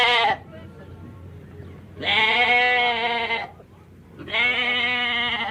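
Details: Goat bleating: three long, nasal, quavering bleats roughly two seconds apart, the first clipped short, over a steady low hum and faint background sounds.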